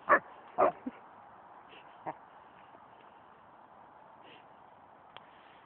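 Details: Australian Shepherd barking at a tree, as if arguing with it: two loud, sharp barks in the first second, a softer yelp, another bark near two seconds, then mostly a quiet steady hum with a faint click.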